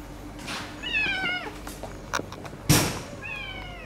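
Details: A white tabby female known as the friendliest cat in the neighbourhood, living with a rival cat that took over her sleeping spot. Two clear meows, slightly rising then falling, with a sharp knock between them.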